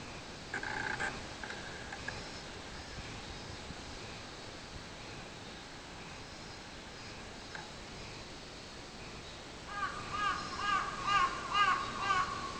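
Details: Robust cicada (minminzemi) recorded on 24 July 2016: a short tonal burst at the start, then after a quiet stretch a rhythmic run of pulsed, ringing notes, about two per second, steadily repeating over a faint background hiss.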